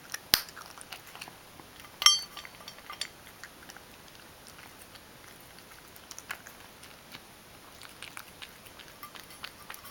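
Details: Ragdoll cat Mojio eating dry kibble indoors, chewing it well: sparse, crisp crunches and clicks, a sharp snap near the start, a louder burst around two seconds, then softer irregular crunching in a quiet room.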